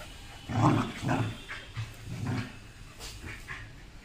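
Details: Rottweiler and German Shepherd fighting, low rough growls in short bursts at roughly half-second intervals with snorting breaths, pulses weakening toward the end, some scuffling noise.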